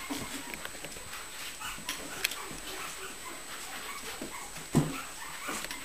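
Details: Puppy Josie at playtime, wrestling, lets out a brief whimpering, growly yelp near the end amid soft scuffling, rustling and thumps of play, with a faint steady high tone running throughout.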